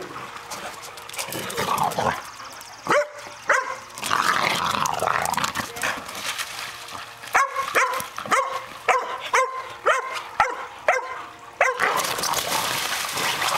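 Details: Boxer dogs Brock and Jack romping outside on a swimming pool cover; after scuffling noise, a steady series of short, bright barks roughly every half second, then broad rushing noise.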